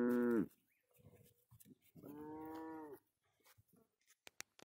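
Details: Cows grazing on a green pasture moo twice: a brief, falling bellow, then a steadier, nasal call of about a second. Faint voices and a few clicks follow.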